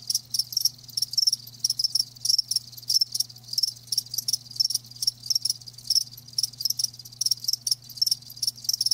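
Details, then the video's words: Loud, close live crickets chirping in quick regular pulses, roughly three to four bursts each second, bright and high-pitched with a steady low hum in the background. "Live Crickets 60min "Natural Sound""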